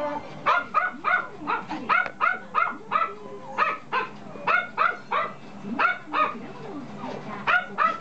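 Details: Toy poodle puppy repeating bright, high-pitched yaps roughly three per second in an irregular run, some barks doubled, with faint whimpering underneath.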